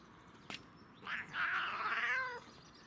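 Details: Domestic cat enjoying catnip, giving one drawn-out harmonic meow lasting about a second and a half, preceded by a short click; quiet indoor background.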